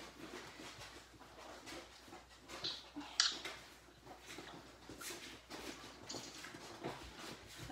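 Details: Litter of Labrador retriever puppies playing in their pen in the morning; sharp high squeals and yips, one loud squeak near the middle, amid continuous scrabbling, chewing and rustling noises.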